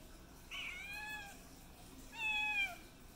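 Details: Kittens asking for food: two drawn-out meows, each starting high then sliding down into a long falling tone, about one and a half seconds apart, in a quiet indoor setting.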